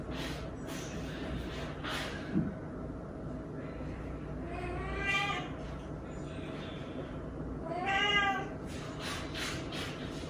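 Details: Weak rescued kittens, found huddled together and fading: two harmonic meows, the first near the middle and the second later, each rising then falling, over a steady low background hum.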